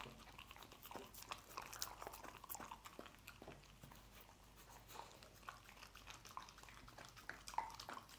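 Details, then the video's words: Scrambled egg being eaten by a dog indoors: dense crunchy bites and wet smacks, continuous and irregular, a lull in the middle before chewing resumes. "Dog Eating Egg Scramble"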